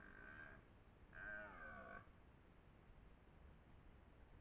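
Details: Red deer, a twelve-point stag that dominates the area near Lartigau, Milhas, France, in the 2023 rutting season. Two faint, harmonic-rich roars: a short burst, then a longer, wavering bellow after a pause, over steady background hiss.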